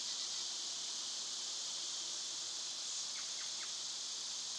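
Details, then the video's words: A dense summer cicada chorus makes a continuous shrill hiss-like buzz with no pauses, while a few brief faint chirps appear near the end. "Birds & Squirrels w/ Cicada sounds"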